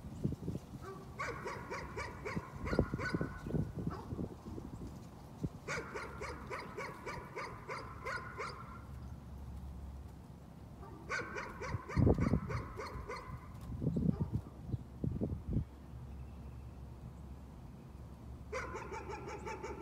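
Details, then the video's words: Nuisance barking: a dog barks in repeated bursts of quick, evenly spaced barks separated by pauses of a few seconds, with heavy low thumps and rumbling between the bursts. "Nuisance barking again."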